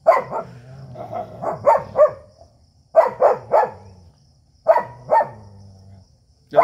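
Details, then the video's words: Indian street dog facing a German Shepherd in a tense standoff, deep rough barks in tight clusters of three to five separated by quiet gaps, low growling rumbles trailing between bursts, a man's voice trying to calm them. "dog fight video"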